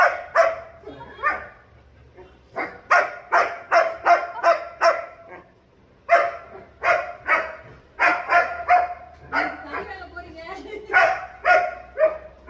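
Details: German Shepherd dog giving repeated loud, sharp barks in rapid runs, separated by short pauses, with a person's voice faintly heard.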